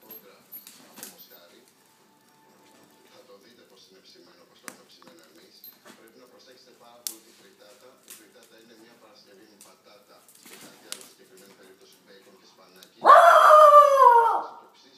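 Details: A Basenji playing on a couch with another Basenji gives one loud, wavering, yodel-like cry after a stretch of quiet scuffling and clicks.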